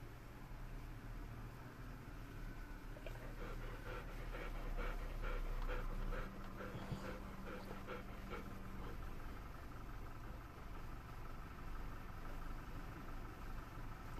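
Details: Golden Retriever panting in a car on the way home: quick, breathy, broadband huffs in bursts, loudest around the middle, over a steady low engine and road rumble.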